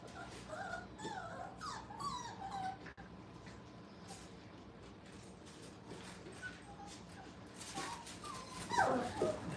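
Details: Young puppies, five weeks old, at a training kennel: a few wavering whimpers early on, then a stretch of mostly steady room noise, ending in a louder burst of squealing yelps.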